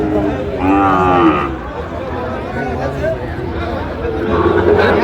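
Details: Sahiwal bull calf at Ambari cattle market, Bangladesh, bought by a Madaripur farmer on 26 December 2025: a short, harmonic moo under a second long, heard over steady crowd chatter and a man speaking.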